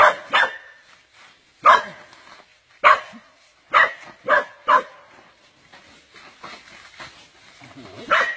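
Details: A dog being constricted by a giant snake barks in loud, harsh bursts roughly every second, some coming in close pairs, with faint background noise between them.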